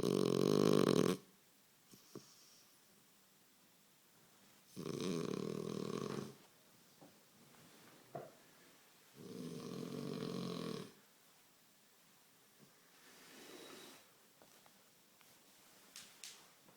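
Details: Sleeping French Bulldog gives repeated throaty snores, four broad rasping breaths spaced roughly every four seconds, fading slightly toward the end, with faint clicks in a quiet room.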